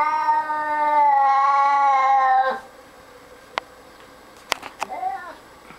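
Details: Claudius, a 20-year-old domestic cat, growling at a stray orange cat on the back porch: a long drawn-out moaning yowl, steady then fading, followed by quiet with a few clicks and a short rising mew.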